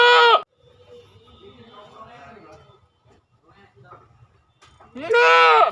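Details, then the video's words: Goat bleating: the tail of one loud cry opens the recording, then after several seconds of soft murmuring voices a second full, quavering bleat rises and falls near the end. "Suara kambing"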